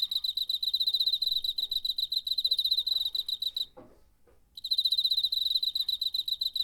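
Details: Cricket chirping, recorded in September 2019 on a DR-05 recorder: a dense, steady train of rapid high pulses with bright harmonics, broken by a pause of under a second before resuming; faint low background rustles.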